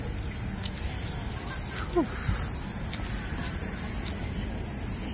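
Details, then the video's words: Crickets calling again outdoors beside a road: a constant thin, high trilling drone holds steady throughout, over low traffic rumble and a brief chirpy sound near the middle. "Nahuni na naman ang mga kuliglig."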